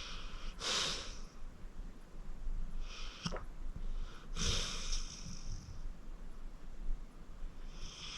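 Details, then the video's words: Senior pit bull Acorn, 14 years old and adopted from the Cuyahoga County Animal Shelter, asleep and snoring: rough, snorting breaths return every two to three seconds, some with a sharp nasal catch, over quiet room tone. "Acorn Sleeping - Relax with a Snoring Senior Dog"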